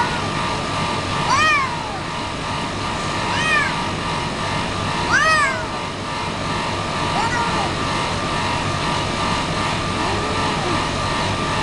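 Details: Pet domestic cat giving four short meows about two seconds apart, each a rising-then-falling harmonic cry, over steady background hum and a brief spoken phrase.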